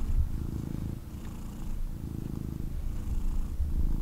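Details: Male kitten picked up for cuddles, purring intensely at once; dense low rattling purr, nearly continuous with slight swells and dips, and soft thumps from movement against the holder.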